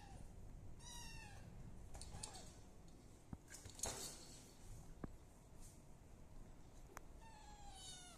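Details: Three one-month-old kittens, of village cat and Persian cat stock, mewing indoors: two high, thin, slightly rising meows, one near the start and one at the end, with soft clicks and handling noises between them.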